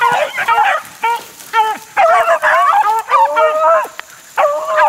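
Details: Close, loud baying from 4-month-old Beagle pups working in the wild in 2013, with drawn-out harmonic bays and short yips overlapping as the young hounds give tongue together.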